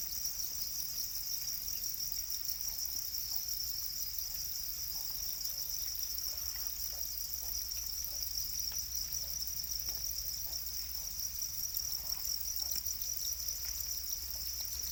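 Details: Domesticated Para crickets, also called black crickets, form a continuous, steady, high-pitched shrill trill that never breaks, with a faint low hum underneath.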